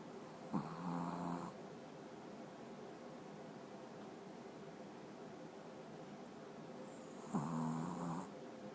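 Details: A sleeping Pekingese snores very loudly with slow, rattling, low buzzy breaths, each lasting about a second. Long quiet stretches with faint room hum separate the snores.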